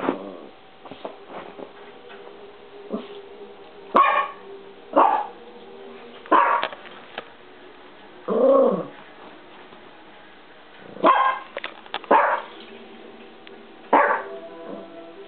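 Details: Peanut the Chihuahua arguing with the camera gives sharp, separate barks every one to two seconds, with one drawn-out, rising-and-falling yowl in the middle, over low background sound.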